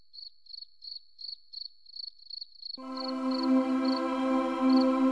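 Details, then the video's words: Cricket chirping in a forest: evenly spaced high, pulsed chirps about three per second, then a sustained droning musical tone enters halfway and continues beneath fewer, sparser chirps. "Beautiful Cricket Sound"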